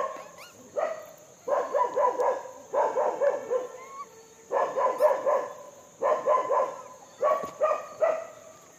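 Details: A monkey calls while feeding: harsh, barking bursts in quick runs of three to five, groups separated by short pauses, with a steady high electronic whine throughout.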